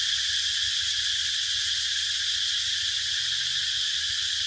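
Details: Steady shrill buzzing of cicadas, a continuous high drone with fine rapid pulsing and no pauses, over a faint low rumble.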